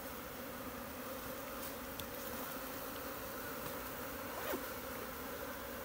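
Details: Wild honey bees swarming in a Nepali jungle while being gathered by hand from a tree into a modern hive, queen included: even, thick humming drone holding steady without pause, faint scattered taps.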